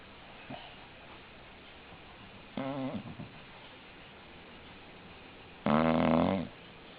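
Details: Indoor English Bulldog snores: a soft brief wheeze, then a short warbling snore, and a loud buzzy snore near the end.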